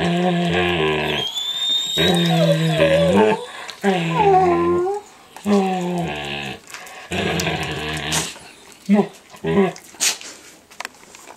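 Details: Young standard poodle Micah, eight months old, indoors during a daily play ritual, nibbling an older poodle's face and ears while voicing wavering, moaning whines in bursts of one to two seconds, with brief pauses and soft rustles between.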